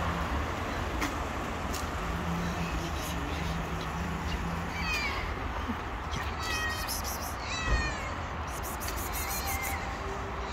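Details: Stray mother cat and her kittens living on the street, meowing from hunger: several thin, high, wavering meows crowd the second half, overlapping one another, above a steady low rumble of background noise.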